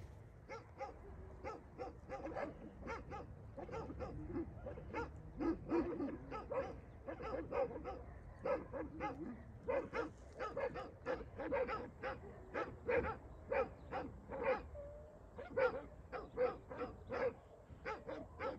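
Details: Female Dogo Argentino facing a pack of six dogs, with dense, rapid barking throughout: several sharp barks in quick bursts, often overlapping, as if more than one dog is barking at once, with short gaps between flurries.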